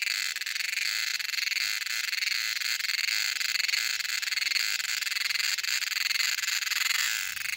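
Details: A dense summer cicada chorus in Kerala fills the air with a shrill, steady buzz layered in several high tones. The unbroken drone holds an even loudness, with only a faint pulsing texture.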